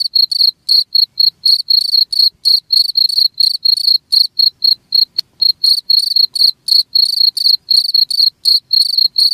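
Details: Shrill cricket chirps, from an hour-long recording intended to drive rats off, pulse in quick regular bursts near four a second, with one brief click partway through and an otherwise quiet background.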